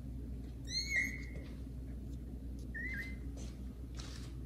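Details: Young kittens Caramel and Zephyr meowing indoors on first meeting the household cats Kira and Daddy; two drawn-out high meows, the first long and bright, the second shorter and softer, over a low room hum.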